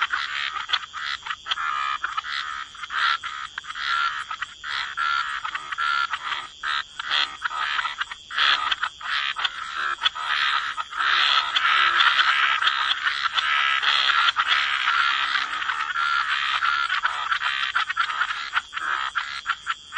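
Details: Croaking frogs in a wetland, many overlapping rasping calls at roughly 77 per minute, swelling from spaced bursts into a thick unbroken chorus, with a steady high-pitched ringing underneath.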